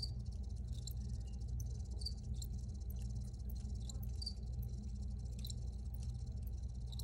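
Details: Recorded crickets sound repeated shrill chirps, some in quick clusters, roughly once or twice a second, above a continuous deep background drone.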